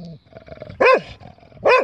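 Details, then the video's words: Two loud, abrupt barks from Ozzy, a dog halted for a break in a park mid-walk who wants to continue, each a single arched harmonic yelp almost a second apart, with low rustling between. "Ozzy Barking"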